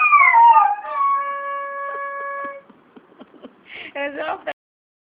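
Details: Domestic dog singing along to the flute tune "Cai, Cai Balão": one loud, falling howl opens, then held flute notes sound, followed by a short burst of voice-like noise near the end.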